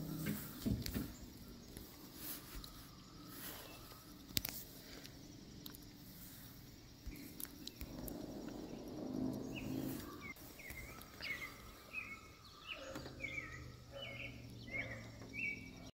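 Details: A red squirrel gives short, high chirping squeaks in quick bursts after a stretch of rustling, reacting as if ticklish when its toes are touched.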